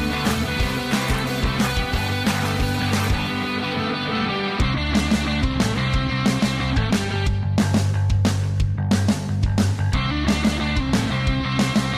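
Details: Loud, driving rock music with guitars and drums throughout, and no animal sound.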